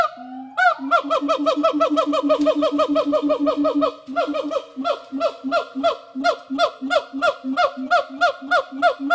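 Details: Rescued gibbons in the WFFT rehabilitation forest in Thailand, being readied for return to the wild, give a fast run of loud, rising whooping notes repeated about three times a second over a steady lower hooting tone.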